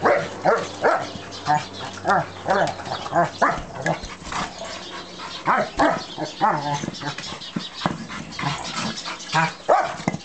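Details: Rottweiler stud of three years, 120 pounds, mad with his brick toy; loud, closely spaced growling barks with rising and falling pitch, roughly two per second, a voice briefly mixed in.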